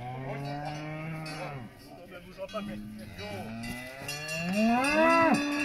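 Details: Salers cattle at a show in Pleaux, Cantal, France, 13 August 2022: a long low moo, quieter overlapping calls, then a louder rising, strained bellow that ends abruptly, over crowd background and bells.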